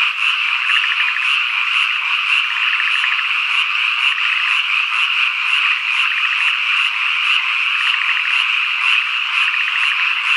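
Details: Summer dusk chorus of cicadas in rural Ikusaka, Nagano, Japan: an unbroken shrill buzz throughout, short rattling frog croak trains recurring, and sharp high insect chirps ticking roughly twice per second.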